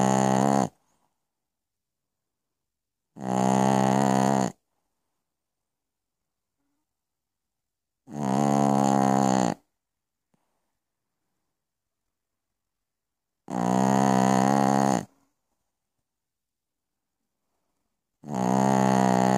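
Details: Night-time snoring of Piccolina the Pekingese: five rough, buzzing snores, each about one and a half seconds long, spaced roughly every five seconds with complete quiet between them.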